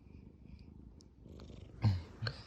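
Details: Sleeping tabby cat, a soft low purr building briefly and ending in two louder snort-like breaths close together.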